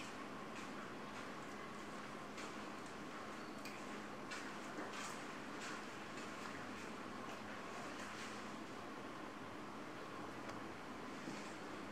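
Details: Constant broadband rumble like a passing vehicle or machinery, with faint scattered knocks and no animal calls.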